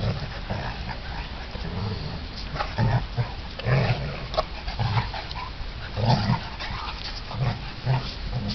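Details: St. Bernard named Oscar play-fighting with his buddy Otis; low rumbling growls and grumbles come in bursts throughout, with short whiny yelps mixed in and broadband scuffling noise.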